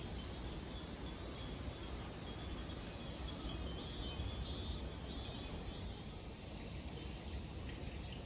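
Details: Chorus of cicadas at a Buddhist temple, Kozoji (Takazo Kannon), in Kisarazu, Chiba, Japan; a continuous shrill buzzing wash from many insects, swelling a little toward the end, with faint low outdoor rumble beneath.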